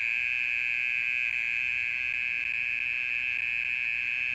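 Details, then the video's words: Mole cricket calling at night, singing for over thirty minutes: a loud, unbroken, even buzzing trill at steady high pitch with faint overtones, continuing without pause through the whole stretch. "オケラの鳴き声 30分以上鳴いてる"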